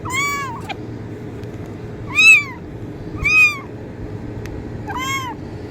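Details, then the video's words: High-pitched kitten mews meant to attract cats, four arched calls rising and dropping, roughly one per second, with brief clicks between them and a constant low hum underneath. "kitten meowing sound effect| cat meow sound effect| cat sounds to attract cats"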